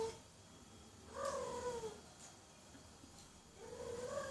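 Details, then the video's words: A cat meowing loudly: two drawn-out, slightly falling harmonic wails about two seconds apart over a steady hiss of background noise. "Cats Meowing Loudly"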